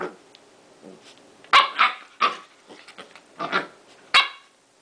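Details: Shiro the Corgi, just bathed and rolling on the floor, gives a run of short barks and yips, uneven in spacing and loudness, with softer huffs between the louder sharp barks.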